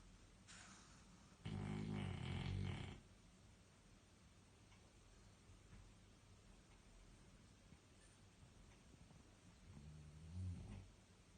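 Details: Bruno, a dog, snoring while asleep: a loud, rough, low rumbling snore lasting about a second and a half, then long quiet breathing and a second, softer snort near the end.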